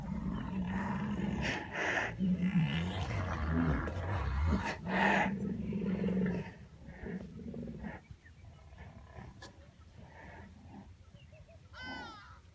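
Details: White rhinoceros giving deep, rough snarling and wailing calls, sounds made by adults, then a brief high squeak near the end, a call type that calves make.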